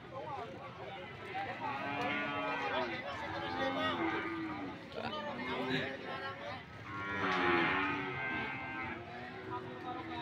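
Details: Many PO cattle lowing at the Banyumas Sokaraja market, repeated long moos swelling and fading in waves, two louder bursts, under a constant hum of traders' voices.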